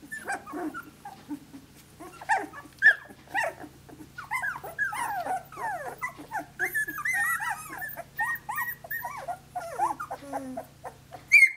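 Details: Seventeen-day-old Australian Shepherd pups at play, vocalizing in a dense overlapping chorus of high squeaky whines and yips, many falling in pitch, growing busier after the first few seconds with a low background hum.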